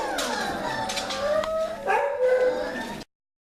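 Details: Morning chatter from winter 2017 puppies of Mega x Rudy and Maggie x Rigley: a few young dogs give wavering, whining howls and short yips that bend up and down, ending abruptly after three seconds.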